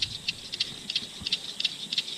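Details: A loud evening chorus of spring peepers (Pseudacris crucifer), many high, clear peeps overlapping in a steady, ringing pulse, heard at 6:30 pm from a riverside camp on the Eleven Point River near Alton, Missouri, in late July, about two hours before sunset.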